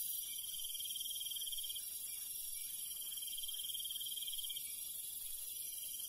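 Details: Cricket chirping at night in the countryside: a high, pulsed trill running in bouts of nearly two seconds with short pauses between, over a steady shrill hiss of other night insects.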